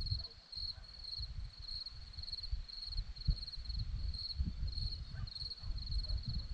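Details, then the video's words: Crickets on a hillside at Zorlesti, Romania, give a steady high chirping: short pulsed trills repeating about twice a second without pause, over strong low rumbling wind noise. "Crickets sound"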